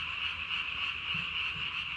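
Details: Japanese tree frog calling at night on 3 May 2020, its vocal sac under the chin inflated as large as its body; a steady, dense high-pitched trill with slight pulsing, like a continuous chorus.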